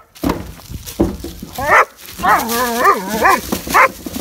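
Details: German Shepherd attacking the wheels of a garbage can as a man brings it in from the street; short barks and yips followed by wavering, whining growl-like vocalisations, with rolling wheel and scraping noise underneath.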